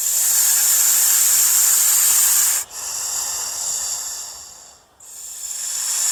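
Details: Frightened snake giving a continuous airy hiss, bright and high-pitched, with two brief dips where it breaks for breath before resuming at full strength.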